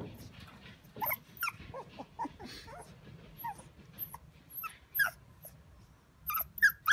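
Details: Shiba Inu male making soft, irregular whimpers and short squeaky cries, scattered and fairly quiet, with faint background noise between calls.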